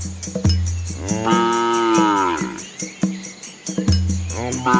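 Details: A cow gives a long, drawn-out moo that swells and sinks over a steady rhythmic rattling beat, as village cows come home before the rain arrives.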